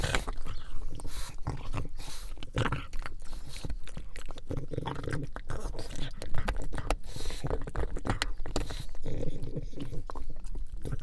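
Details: Buddy the pug eating bone marrow indoors: steady wet chewing and crunching, dense clicks and bites running through the whole stretch, with a few louder crunches and low mouth noises.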